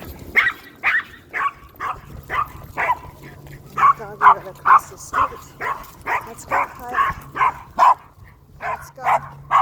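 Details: Kyle, a Maltese dog in a sweater out on a walk, barks across the street at other dogs: a fast run of sharp, even barks, about two a second, over low traffic rumble.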